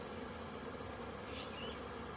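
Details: Short burst of honey bee hum at a crowded hive during orientation flights on 22 September 2022, after days of rain; constant droning buzz with a faint high chirp near the end.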